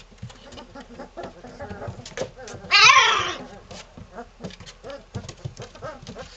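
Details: Playing three-week-old Malinois littermates: soft low growls and grunts throughout, broken by one sharp high squeal just under three seconds in, amid rustling scuffles.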